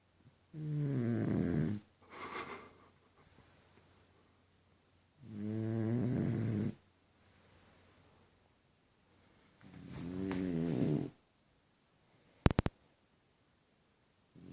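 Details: French Bulldog Deni snores comically: three long grating, throaty snores spaced roughly four seconds apart, with softer short breaths between them and a burst of clicks near the end.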